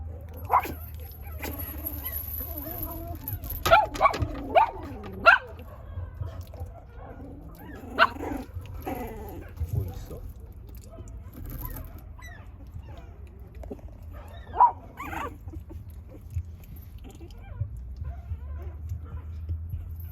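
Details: Puppies giving scattered short yips and sharp barks, with a quick burst of several between four and five seconds, softer whimpers in between, and a steady low hum underneath.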